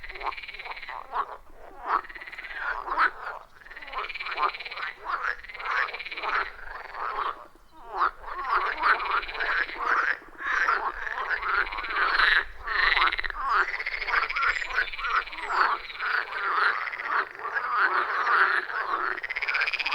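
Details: Wild frogs calling in a loud chorus around a forest pond, recorded with an iPhone 14 Pro and Shure MV88+ microphone; dense overlapping croaks with rapid pulsed, rising-falling notes, continuous and rhythmic, no music or talking.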